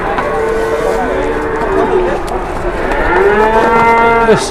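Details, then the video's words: Big, fat cow in Indonesia giving a long drawn-out moo: a steady low tone that dips and then rises again into a second sustained bellow before breaking off at the end. "BIG COW"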